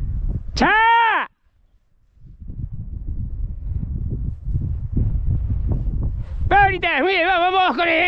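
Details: Podenco hunting dogs of the Perjuicillos pack during a hunting run: a high, arched, harmonic yelp, then several seconds of rustling and footsteps, then a longer wavering, quavering yelp, with a man urging the dogs on.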